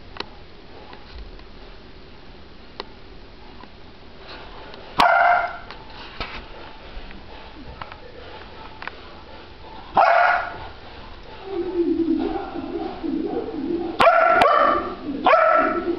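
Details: Shadow, a Rottweiler puppy on the stairs unable to get through the railing to the owners, gives short, high, nasal whines in bursts, with a person's voice briefly heard; Rottweiler.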